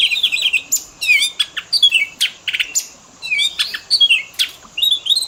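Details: Oriental magpie-robin fill-in song for training pet birds to mimic other birds and nature sounds: varied high whistles, rapid chattering bursts and short sweeping notes in quick phrases, with a steady faint high hiss throughout.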